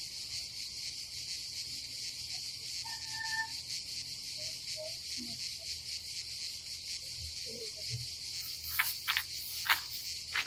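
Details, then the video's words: Summer cicadas at a seaside campsite by the Adriatic in Croatia, a continuous shrill buzzing drone throughout, with faint low murmurs midway and a burst of clattering clicks near the end. "nature cicadas sound"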